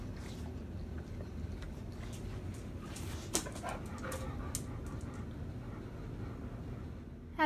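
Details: Teacup Chihuahua Carbon Moon and Pit Bull mix Luna Bean meeting for the first time indoors: soft snuffling, sniffing bursts and faint whimpers cluster mid-clip over a low steady hum, ending in a short high squeak.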